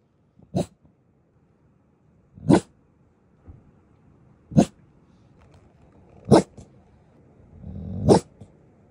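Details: Golden Retriever at a campsite in the morning barking to warn a squirrel getting too close to the camper; five short, sharp barks spaced about two seconds apart, with a quieter grumble between them.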